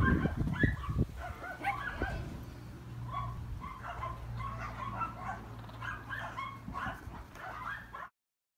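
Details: Several Shih Tzu puppies at a breeding farm giving rapid, high, squeaky yips and whimpers that overlap continuously, with a few louder thumping sounds at the start and a steady low mechanical hum throughout.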